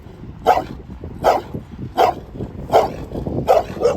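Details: Dog barking at a steady pace, about one sharp bark every three quarters of a second, five or six barks over low background noise.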